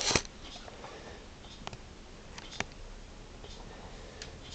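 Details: Quiet indoor room tone with a few sharp clicks and taps, no animal voice.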